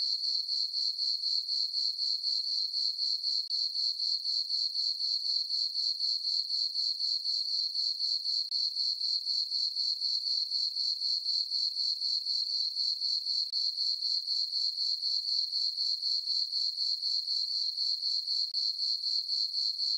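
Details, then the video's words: Night crickets in a moonlit farm meadow in summer, chirping as one high, thin, metallic trill that throbs in steady quick beats around four a second, with a clean background. "Cricket chirping sounds for sleeping"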